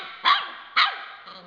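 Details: Yellow Labrador Retriever puppy, two months old, giving two short, high-pitched barks about half a second apart, followed by a faint softer yelp, in a quiet indoor setting.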